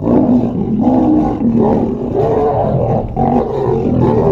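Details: Close-range lions at Mount Etjo Safari Lodge, Namibia, eating and fighting for the better part of the meat; continuous loud, harsh snarling with wavering tone pulsing about every half second throughout.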